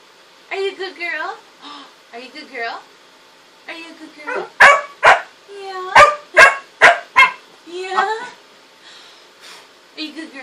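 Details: Pet dog vocalizing indoors: whiny, wavering whimpers and yelps at first, then a fast volley of six sharp barks near the middle, followed by more drawn-out whining notes and a few soft yips.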